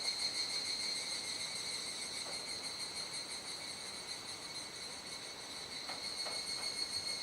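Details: Evening cicada chorus recorded in Kuji, Iwate, Japan, 17 July 2017 shortly after 19:00, as the insects gradually stop singing with nightfall. A continuous metallic hiss-like drone pulses quickly, with a few faint knocks.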